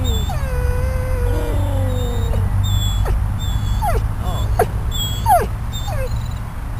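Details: Riddick, a dog uncomfortable and probably hungry after leaving ICU at Bryanston Veterinary Hospital, outside on the grass with visitors; long high sustained whine sliding downward, then short rising-falling whimpers, over steady low traffic rumble.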